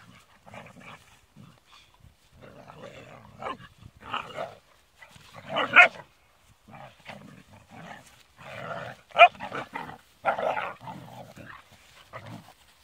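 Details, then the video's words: Rhodesian Ridgeback puppies Saja, Argon and Loki playing rough, producing low growls and short snarling barks in irregular bursts with gaps of quiet. "Rhodesian Ridgeback - Rough Puppys"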